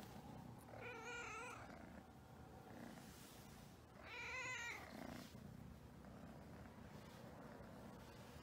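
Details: Havana Brown cats, with two loud, rich meows about three seconds apart, the second slightly longer and wavering, against a quiet indoor background.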